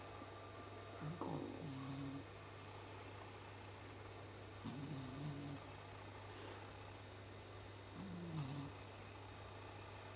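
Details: Chibi, a pet cat sleeping indoors, snoring like a person: three drawn-out, rough breaths with a wavering low tone, spaced roughly three to four seconds apart, against a constant low room hum.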